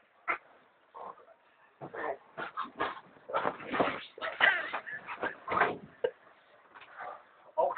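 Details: Indoor alarm-style vocalizing from an amstaff that dislikes its owners lying in bed: loud broken whines, yelps and howl-like barks in quick clusters, with a person's voice in the room.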